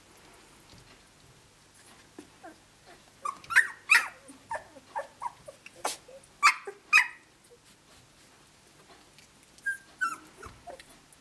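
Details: Seventeen-day-old Australian Shepherd puppies from Dazzle and Naishe, playing with each other: a cluster of high squeaky whimpers and yips in the middle, with quieter shuffling grunts before and a couple of thin whines near the end.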